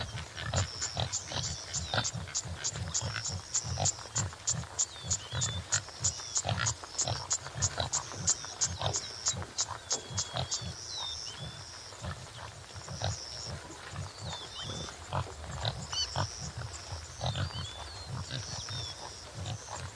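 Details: Topi, subspecies jimela: rapid series of short, low, pig-like grunts and snorts, several per second and fairly irregular, mixed with dry clicks, while high thin bird chirps sound through the background.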